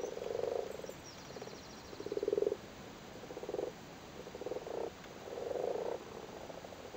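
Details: Male frogs busily spawning in a flooded cattle grid in Cork, Ireland: repeated low purring croaks, roughly one burst every second, several frogs overlapping.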